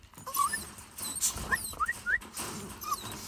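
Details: Jack Russell Terrier whimpering in short rising whines near one to two kilometres of pitch, several quick upward slides spread over three seconds, with faint higher squeaks and light background hiss.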